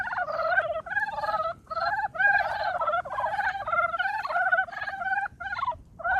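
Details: Brown frogs calling in early spring; a dense chorus of overlapping, rapid clucking croaks with a hoarse, gobbling quality, in short bursts separated by brief pauses, several frogs calling at once.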